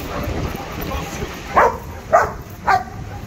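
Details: Dogs offered by sellers at the Sunday Garia market in Casablanca, Morocco, on 11/12/2022. Three short, sharp barks about half a second apart rise over a steady background of crowd murmur.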